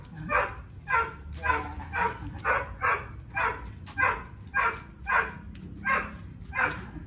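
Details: Tyrion, a 3-year-old Boxer dog with low food drive and high prey/play drive, during engagement and recall training; short harsh breathy bursts repeat steadily about twice a second, with low background rumble throughout.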